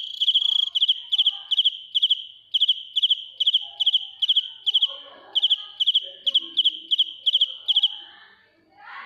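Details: Close-up of a real field cricket singing ear-piercingly loud: bright pulsed chirps, each a quick trill of three or four clicks, steadily repeated about twice per second, fading away at the end.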